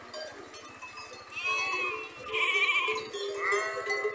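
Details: A herd of sheep grazing: several wavering, harmonic bleats rise and fall, including one long nasal bleat near the middle, while bells tinkle softly behind them.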